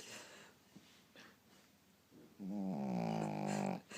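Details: Lulu, a female dog who snores even while awake, gives a single long, rough, buzzy snore lasting over a second, steady in pitch and loud against a quiet indoor room, after faint scattered noises.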